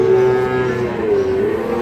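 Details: Sahiwal bull calves at Ambari market, Parbatipur, Dinajpur, Bangladesh, on 11 May; a steady, sustained tonal moo with a slight dip and rise runs through the clip over crowd murmur.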